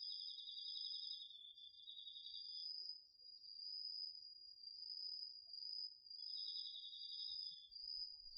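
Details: Crickets and other autumn insects calling after dark from a garden vegetable plot, DR-40X recording: a lower rapid-pulse trill plays for almost three seconds, pauses, and comes back under a constant high, slightly wavering trill.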